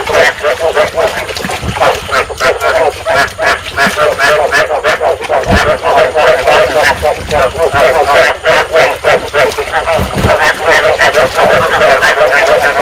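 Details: Field frogs calling to stimulate breeding, a sound played to lure frogs into traps: a dense, steady chorus of rapid overlapping croaks and pulses, about three per second, with a few louder knocks and thumps.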